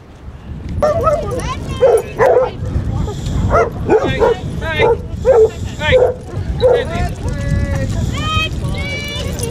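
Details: Basset Hounds, part of a pack of 24 walking five miles along Burnham and Berrow beach, Somerset, on 2 February 2014, give bursts of harmonic barking and baying, several dogs overlapping, with people talking and calling among them.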